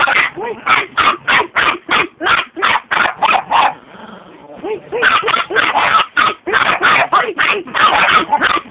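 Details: Chihuahua yapping in quick bursts: shrill, clipped barks fire off almost three per second, pause briefly around the midpoint with a soft murmur, then resume just as fast and insistent.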